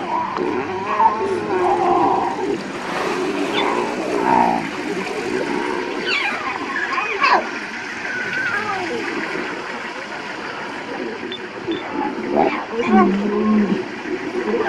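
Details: Lion cubs in Tanzania after swimming across a large pool to rejoin their siblings and mother, crying with short wavering and rising mewing calls, several overlapping, with water sounds and people talking quietly nearby.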